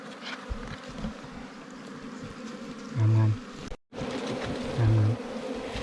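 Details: Swarming wild bees during a honey hunt for ground-nesting and cavity bees; a steady, low droning buzz holds throughout, with a short break just before four seconds and a few soft knocks.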